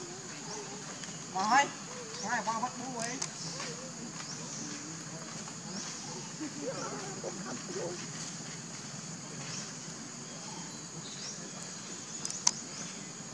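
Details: A baby monkey cries to its mother for milk with wobbling, whimpering calls that rise and fall in clustered runs, then fade. A constant insect hum fills the background, and a sharp knock comes late.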